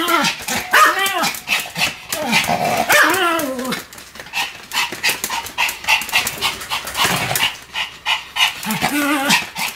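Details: Pet Pomeranian dog barking continuously while spinning very fast: loud, sharp barks with curved, arching tones, coming in rapid irregular bursts with brief gaps, over scuffling and clattering noises.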